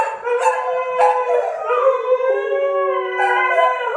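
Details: A Siberian husky, set howling by a pestering English springer spaniel and joined by two springers, gives a long, wavering howl that slides up and down with a clear, ringing tone.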